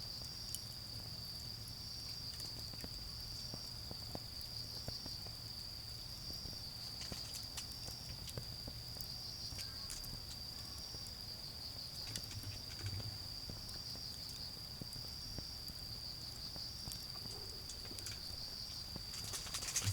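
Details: Autumn insects singing in a garden beside a bonfire: a steady high continuous trill with a fainter pulsing layer just above it, over soft fire crackles and a low rumble of distant cars.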